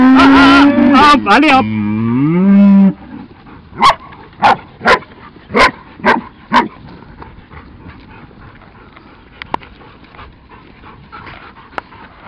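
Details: Cattle being moved by a Cattle Dog and another dog: a loud, drawn-out moo wavering downward and rising again over about three seconds, followed by a run of regular dog barks roughly twice a second, then quiet.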